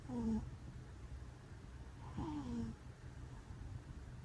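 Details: Twin cats sleeping side by side, always cuddled together, snoring softly: two brief whistling, slightly falling tones on breaths about two seconds apart over a low, steady rumble in a quiet room.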